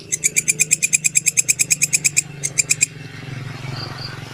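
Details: Belalang kecek grasshopper tutor recording for songbirds: quick high-pitched rasping pulses tick along evenly for nearly three seconds, falter, then stop, leaving soft low rumbling background noise.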